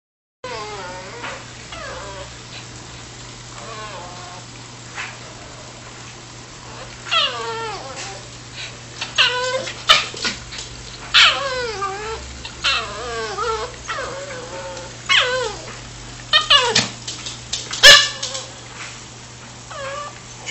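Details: Chewie, a pet dog excited to go for a walk, gives a string of high whining yelps and squeals with falling and wavering pitch, coming in irregular bursts that grow louder and denser toward the end.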